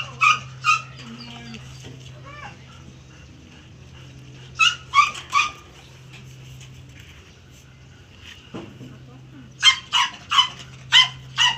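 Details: Barking from a German Shepherd at a stud session. Short harsh barks come in bursts of two, then three, then a closing string of about six, over background talk and a constant low electrical hum.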